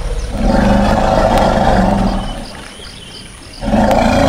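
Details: Calling elephant giving two loud, rough roars with strong low harmonic bands, the first lasting about two seconds, followed by a quieter lull of roughly a second before the second roar starts again.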